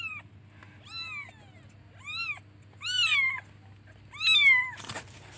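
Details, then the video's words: Young kittens calling for their mother: a run of five meows, each arching up and down, growing louder toward the end, followed by a brief noisy thump, with a constant low hum behind. "Cute baby kittens looks for and calls its mother by meowing"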